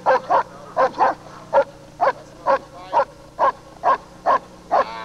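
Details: Barking by Lord v. Gleisdreieck, an East German (DDR) German Shepherd, filmed off a TV screen with a 1995 date: sharp single and doubled barks roughly twice per second over a faint background hum.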